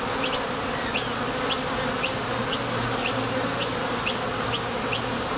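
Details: Honey bees at the entrance of a Top Bar Hive, coming and going to forage for nectar: a dense, steady wing buzz from many bees, with short bright ticks recurring about twice a second as individuals take off or land.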